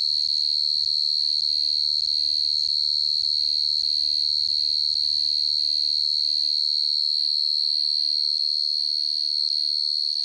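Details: Nighttime cricket song, a continuous shrill high trill with a fast, fairly even pulse; a low hum in the background fades out about two-thirds of the way through, leaving the chirping alone.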